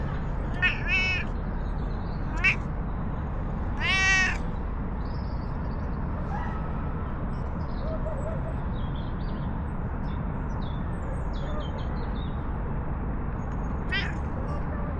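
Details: Stray cat in a park, petted and then following to a bench to sit alongside and snuggle up affectionately; four short rising-falling meows within the first four seconds, another near the end, over a steady low outdoor rumble.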